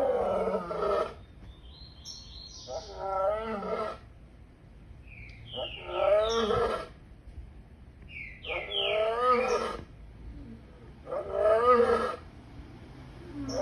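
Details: Lion roaring in a series of hoarse, wavering bursts, each about a second long and repeated roughly every three seconds, with brief chirping birds between the calls.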